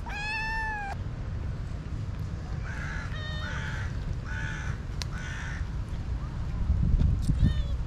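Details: City stray cats answer a person calling them to be fed. One long, clear, arching meow opens, then a run of four shorter, rougher meows in quick succession over steady low street rumble, with a faint final mew.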